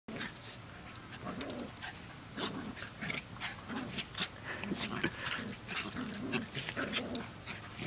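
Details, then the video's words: Three Jack Russell Terriers together; a steady run of short snuffling grunts and soft nasal whimpers repeats every half second or so, with a few sharp clicks and scratches between them and a faint steady high whine in the background. "Jack Russell Trio!!!!"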